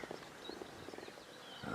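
Lionesses give soft, low, moaning contact calls in short repeated bursts to call a wandering cub back.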